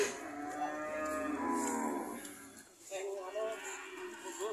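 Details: Cattle owned by an elderly man who is struggling to sell them give one long, drawn-out, harmonic-rich moo of about two and a half seconds, then people talk close by.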